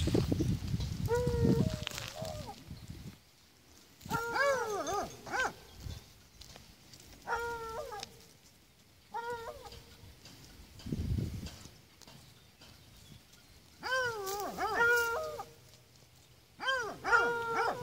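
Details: Miniature donkey giving brief, squeaky, arched calls in loose clusters of two to four, separated by pauses, over a faint low rumble.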